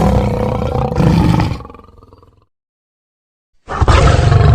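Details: Lion letting out a loud, rasping, low roar that fades into a rumbling tail, followed by silence and then another powerful roar starting abruptly.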